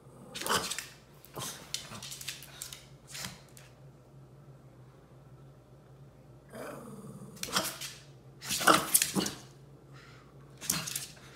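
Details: Shih Tzus of the Furry Duo indoors with a new dog bed: scattered short broadband bursts of grumbling and snorting growls, with quiet gaps between and a faint low room hum.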